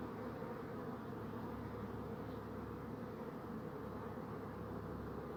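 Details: Bees buzzing, offered as a soothing nature sound: a dense, steady hum that holds low and even throughout, with a stronger low band and no breaks or pauses. No other clear sounds stand out.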